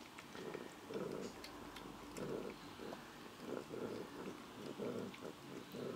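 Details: Purring from Amelie, a foster cat past twenty years of age, as she eats. Deep, pulsing rumble that rises and falls roughly every half second. Faint chewing and mouth clicks sit on top.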